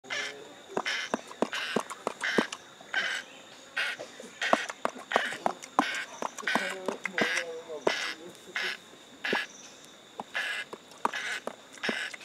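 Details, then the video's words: Stanley, a male chimpanzee at a sanctuary, grooms his companion Gabby with quintessential lip-smacking: sharp wet smacks in irregular runs about one and a half per second, with a few soft low grunts mixed in. "Chimpanzees Grooming"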